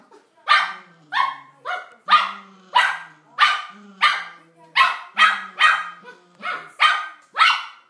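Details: Male toy poodle calling urgently to his mate, who has barricaded herself in after a quarrel; a steady series of about fourteen sharp, high barks roughly every half second, each with a brief whine-like tail.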